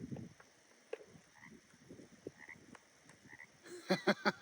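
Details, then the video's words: A frog at Grout Bay, Big Bear Lake, in spring gives a burst of four or five low, rasping croaks in quick succession, with red-winged blackbirds around and faint whistled bird notes earlier. "I swear I'm hearing a frog as well yep"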